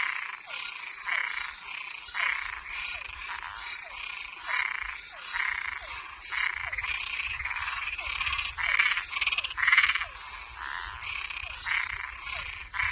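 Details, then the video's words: Nighttime chorus of toads and tree frogs: a long run of harsh, buzzy croaks roughly every second, with small downward-sliding notes between them and faint low rumbling underneath. "Som de animais noturno Sapo e perereca"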